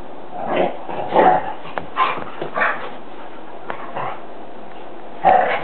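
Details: Dogs play-fighting in a living room: short, rough bursts of barking and grumbling yelps, roughly one every half second to second, over a steady hiss of background noise.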